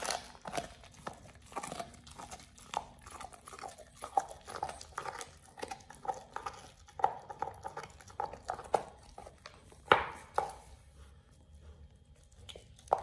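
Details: Oliang, a Pit Bull, eats a raw ostrich paw for the first time. The clip is full of dense crunching and gnawing bursts, with sharp cracks around the tenth second and quieter stretches near the end.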